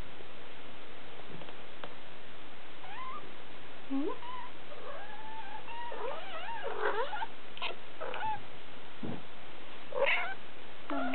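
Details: Siberian kittens three weeks old, recorded July 2008, give a run of thin, wavering mews, some bending upward and others sliding down, clustered mid-clip with a couple of sharper squeaks near the end, over low hiss.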